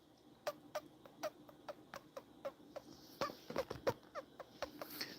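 A series of brief, sharp guinea pig squeaks, each a separate boop, repeated roughly every quarter second. These single squeaks are exchanges between guinea pigs talking to each other.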